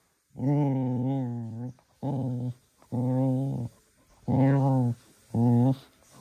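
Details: Little Cocker Spaniel growling during energetic evening play indoors: five steady, deep, buzzy growls, each half a second to a second and a half long, separated by short silences.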